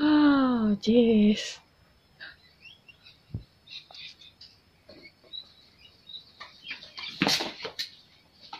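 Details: Pomeranian puppy named Honey, cared for by a pet sitter, indoors: a high, wavering whine that bends down in pitch and repeats for about a second and a half, then soft scattered squeaks and light household clicks, with a short burst of speech.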